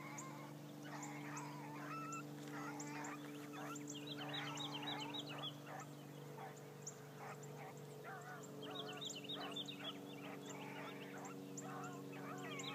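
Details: On her first morning run, Bee the Blackcreek gyp bays while trailing. Fast, ragged barks come in two main bursts against a constant low droning hum, with scattered thin high chirps throughout.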